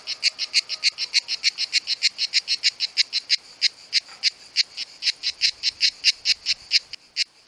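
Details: Cicada calling in summer, sound made by its tymbal organs, one of two filmed: fast series of harsh, buzzing clicks, around five per second, slightly uneven in spacing, steady and loud throughout.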